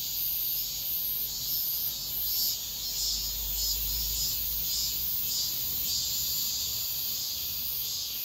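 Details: Cicadas sing at dawn in midsummer, filling the air with a dense, high, shimmering buzz that pulses in slow waves.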